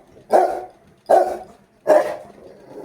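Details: Very angry Rottweiler giving three rough, forceful barks roughly 0.75 seconds apart, each with a fading tail, in a quiet room.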